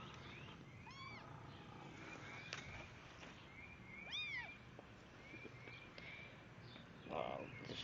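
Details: Abandoned kittens outdoors give two thin, high, arching meows about three seconds apart. Steady background noise and scattered clicks surround them.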